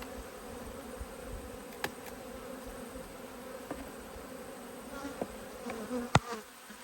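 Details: Honey bees from two hives, cross at being opened for inspection on 5 March 2022, give a steady low droning hum with a faint higher overtone, broken by a few sharp clicks and knocks from the handling.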